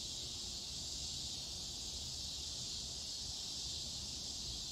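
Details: A scissor grinder or dog day cicada (Neotibicen pruinosus) gives a loud, steady, high-pitched buzz that runs unbroken through the clip.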